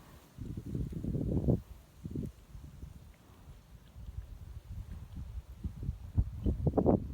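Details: Sleeping horse snoring: low, rough, breathy rumbles in irregular bursts, a longer fluttering snore early on, then softer snuffling and short rasping puffs toward the end, with faint rustling in the background.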